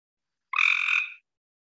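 A tree frog gives a single harsh, nasal croak lasting under a second.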